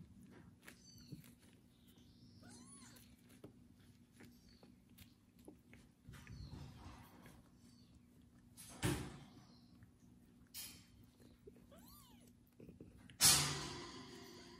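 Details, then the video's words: Kubik, a male kitten, calls after being bathed as a foster mother cat tends and licks him; several thin arched meows spaced seconds apart, two sharp loud knocks and steady low room hum between them. "loud meowing kitten after his first bath"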